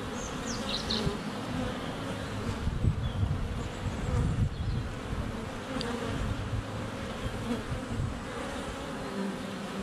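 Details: Honey bees flying at a hive entrance on a sunny February day, recorded with a GoPro; low buzzing drone with rumbling low-frequency handling or wind noise, and brief high birdsong chirps near the start.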